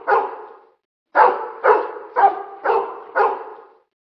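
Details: Pit bull recorded alongside other dogs, giving six resonant barks at a regular half-second pace after an opening bark and a brief gap, each bark trailing off into echo.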